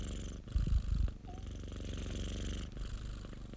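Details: A pet cat named Popo purring indoors, a low continuous rumbling drone with faint rhythmic pulsing, swelling louder in the first second then settling into a steady, even hum.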